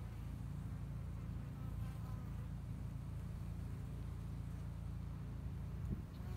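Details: Honey bees at work building up their two-year-old hive in spring in Hickory Creek, Texas; dense, continuous low buzzing drone with little variation, a faint knock near the end.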